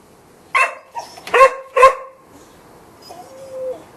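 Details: Golden Retriever giving a quick run of four sharp barks in the first two seconds, followed by quiet and a faint, thin whine near the end.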